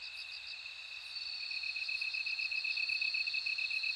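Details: Insect night chorus featuring a bell cricket: a clear high ringing tone with short pulsed chirps repeating about four times a second, beside a steady beaded trill, with faint low rumble beneath.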